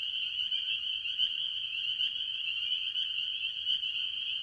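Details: Mostly spring peepers with other tree frogs calling from a farm pond early in the year; high, insistent overlapping peeps merge into a constant bright chorus with slight pulsing swells.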